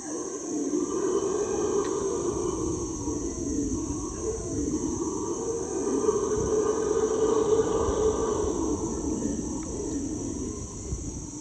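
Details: Roaring chorus of howler monkeys in the Ecuadorian Amazon, recorded from a canoe. Deep, sustained, wavering howls swell and fade for over ten seconds, backed by a constant shrill insect drone.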